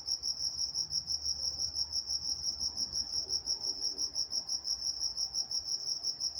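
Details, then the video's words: In Walnut, California, crickets chirp through the night with rapid, evenly spaced high pulses, about three per second, forming a constant shimmering beat over a soft low murmur. "Nature Sounds Night Time Crickets in Walnut, California"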